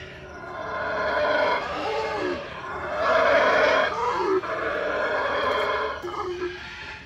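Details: A captive howler monkey at the Miguel Alvarez del Toro Zoo (ZOOMAT), Tuxtla Gutiérrez, Chiapas, gives deep, rasping roars in long, surging bouts that rise and fall in waves.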